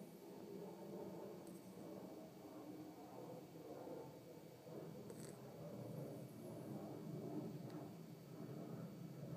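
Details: Yorkshire Terrier named Winnie snoring while asleep indoors: a soft, low, rasping breath noise that swells and fades in slow waves, with faint clicks and a steady background hum.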